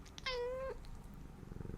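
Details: Talkative domestic cat indoors gives a single clear, tonal meow of about half a second, steady then slightly rising at the end, followed by quiet room noise and soft rustling.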